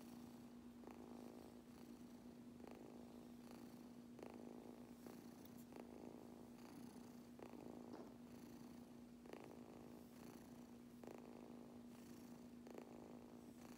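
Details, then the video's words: A kitten purring steadily while getting brushed; a continuous low hum runs throughout, overlaid by soft brushing strokes about once every second. "Adorable Kitten Purring Like Crazy While Getting Brushed"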